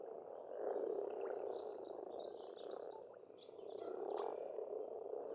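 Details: Spring frogs in Estonia croaking together in an unbroken droning mass that swells and fades twice, while scattered high thin bird notes and short chirps drift over the top.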